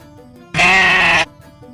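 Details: Goat bleating once, a strained, wavering nasal cry lasting under a second, starting abruptly and cut off sharply, with soft background music before and after.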